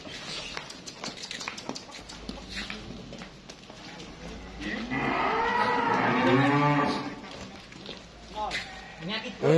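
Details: Simmental cattle of super feeder stock at a weight check, giving a loud, long, lowing moo of about two seconds with rich harmonics, bending up then down. Scattered knocks and clatter before and after, with a brief sharper cry at the end.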